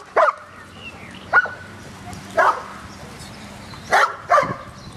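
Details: A dog at a dog park lets out five sharp, separate barks spaced about a second apart, with a faint steady hum underneath.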